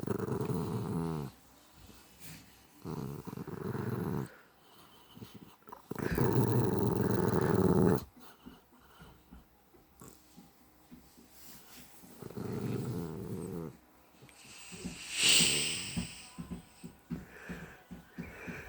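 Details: A feisty female pet dog with big flappy ears growls indoors in low, rumbling bursts of one to two seconds, the loudest near the middle, separated by quieter breathing-like pauses.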